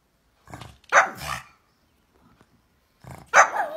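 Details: Pug indoors barking at its owner's coughing, which it dislikes; two short bursts, each a soft huff followed by a sharp yappy bark, about two seconds apart, with near silence between.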